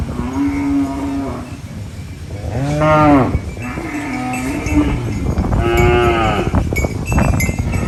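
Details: Cows on a countryside farm while eating banana leaves give loud, drawn-out moos, one low steady call followed by two stronger arching calls, over constant background noise.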